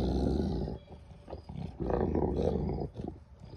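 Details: Two Mastiffs in a days-long resource-guarding standoff over a deer leg: deep, rumbling growls, low and continuous with rough pulsing bursts, warning off the rival; owner feels confident they won't actually hurt each other.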